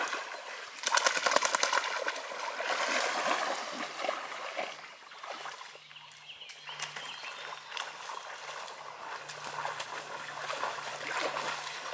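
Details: Splashing and sloshing water fill the recording, loud at first and then easing into a steadier churning. A faint low hum runs underneath, and no animal voice can be picked out.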